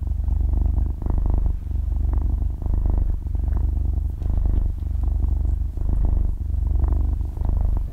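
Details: Close stereo recording of a six-month-old kitten dozing off and purring; low buzzing rumble rising and dipping with each breath, a cycle roughly every second, otherwise quiet room.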